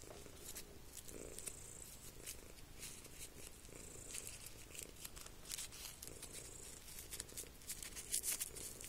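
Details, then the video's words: An indoor pet cat purrs steadily in a low, continuous rumble, partly masked by repeated scratchy chalk strokes on a chalkboard. "purring cat"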